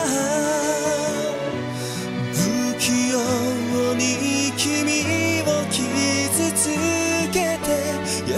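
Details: Melodic background music with sustained tones and what sounds like singing, with no animal voice present.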